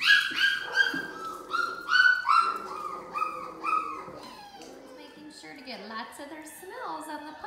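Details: Six-week-old British Labrador retriever puppies from a litter of ten, black and yellow males and females; a run of high, rising-falling whines and yelps repeats rapidly for four seconds, then softer wavering whimpers follow.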